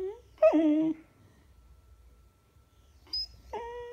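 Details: Beagle indoors, recorded February 19, 2016, letting out a sharp yelp that slides down into a brief whine, then after a pause two short high squeaky whimpers.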